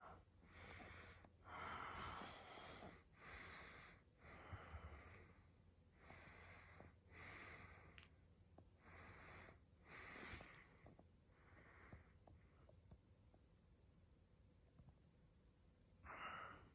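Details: Shiba Inu during its daily routine, rolling over, giving a run of breathy, rasping snorts and wheezy breaths, about a dozen bursts spaced roughly a second apart, with a pause near the end before one last snort; quiet indoor background.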